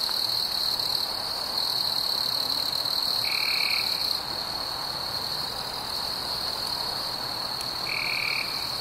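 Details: Night crickets in summer sustain a dense, even, high-pitched trill with soft overtones above it, while a short, lower, flat-pitched note sounds twice, roughly five seconds apart.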